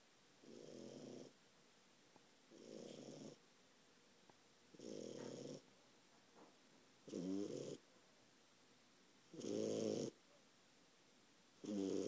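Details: A four-month-old French Bulldog asleep and snoring up a storm: six harsh, rattling snores at a steady pace of about one every two seconds, growing louder and more gurgling toward the end.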